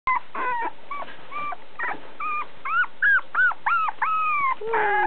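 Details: Puppy offered by a breeder and filmed on 22 February, giving a run of high whines and yips that become longer, clear, arching howl-like wails, rising then falling, about three per second near the end.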